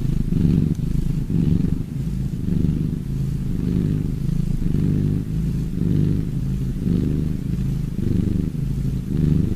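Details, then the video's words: Cats purring for relaxation: a low rumbling purr that swells and fades in cycles roughly a second apart, following the breathing rhythm, with nothing else clearly audible. "Relax Purring cats!"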